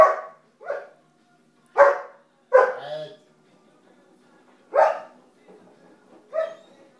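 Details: Three-month-old puppy barking in a toilet room because its food bowl is held up out of reach; six short, sharp, loud barks at irregular intervals, some in quick pairs, with quiet pauses between.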